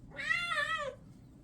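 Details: Orange and white male kitten meowing while being given a bath indoors; a single drawn-out meow of about three quarters of a second, steady then dipping at the end, with faint room noise after.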